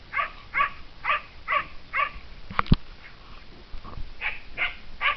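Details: Kai Ken in the mountains, hunting instinct awakened, barking at a cornered serow; steady series of high, sharp barks about every half second, interrupted midway by a brief loud crack or knock before barking resumes.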